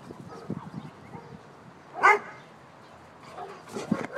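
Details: Hungry dog wanting to be fed gives a single sharp, broadband bark near the middle, preceded by quiet low rustling and followed by a few softer noisy bursts near the end.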